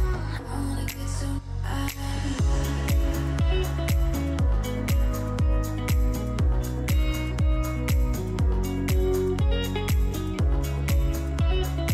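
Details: Electronic music with a fast regular beat and deep bass throughout; no animal sounds are heard.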